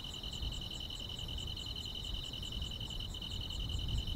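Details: Summer-night grass insects trilling continuously in a bright, even buzz, two steady pitched bands with a quicker pulsing chirp layered higher, set against soft low background rumble.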